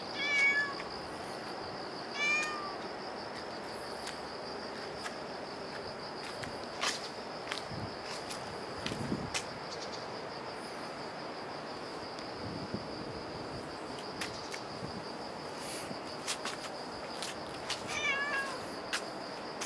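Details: Cat meowing at Dockyard Garden on the morning of 24 September 2016, around 6:18; three brief faint meows, two close together at the start and one near the end, with scattered clicks and a steady high-pitched whine.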